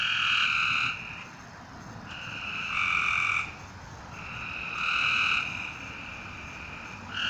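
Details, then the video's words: Several long nasal frog notes at night alternate with softer calls. Each note swells for about a second, the pattern repeats every two seconds or so, and a low hiss runs underneath. "A Strange Night Sound? And Frogs!"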